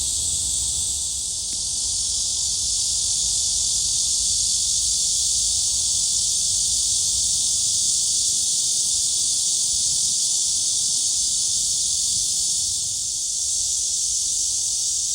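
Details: Cicadas singing at Gwangalli Beach, where dragonflies fly; a loud, unbroken high-pitched shrill drone holds steady throughout, dipping slightly near the start and end, with no other clear sounds.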